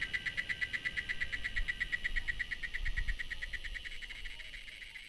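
A cicada sings a steady, rapidly pulsing buzz, high and dry, over a low rumble.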